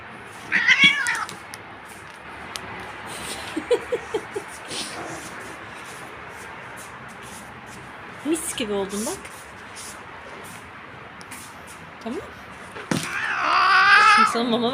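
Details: Cat after combing, meowing briefly at the start and giving a longer, loud wavering meow at the end, with a woman talking and light handling noises in between.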